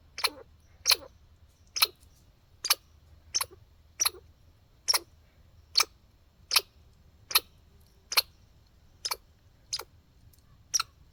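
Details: Squirrel in a backyard repeating hiccup-like calls: crisp broadband chucks roughly every 0.8 seconds in a steady series of about fourteen, each ending in a brief low sweep, over faint background hum.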